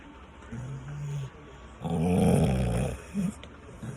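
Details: Dogs sleeping in the rain, snoring: a soft low drone, then a louder, rough, rasping snore lasting about a second, and a short grunt after it, over steady background noise.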